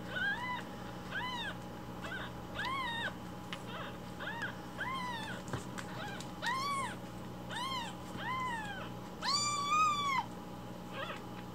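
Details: Rescued baby kittens crying loudly for morning milk while it is being prepared; a run of clear, arched, high mews roughly every second, ending in one longer, drawn-out wail, over a faint steady hum.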